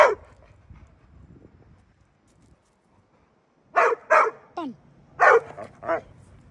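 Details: Pit Bull dog barking: a faint sound at the start, a quiet pause, then a burst of five short, sharp barks over about two seconds, with one brief whine-like yelp among them.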